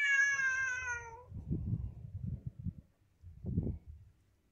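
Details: Pet cat gives one drawn-out, clear meow that slides gently downward in pitch, followed by low rustling and muffled thumps with no further calls.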